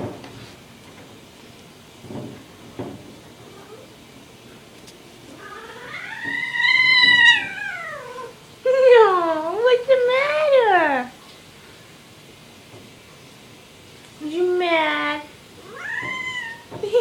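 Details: Mr. Whiskers, a rescued kitten wearing a diaper, recovering from illness and not yet neutered, and described as always a loud, whiny cat: long drawn-out wavering meows, some rising then falling, come in bursts separated by quiet pauses.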